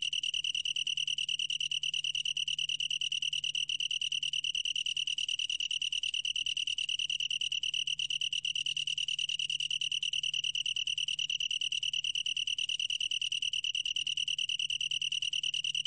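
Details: Continuous high, pure-toned trilling of a long-tailed tree cricket, fast regular pulses merging into a steady ring that never pauses; nothing else audible.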